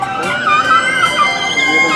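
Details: Killer whale calls, bright harmonic wavering tones rising and falling over two seconds, used to communicate within family pods, each pod having its own dialect.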